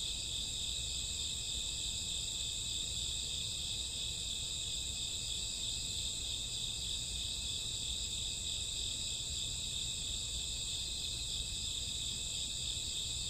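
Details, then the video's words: Crickets at night in summer or autumn, many insects trilling together as a constant, even, high-pitched wash of sound with no breaks throughout, over a faint low rumble. "Cricket sound 2 hours, summer autumn night grassworm lullaby"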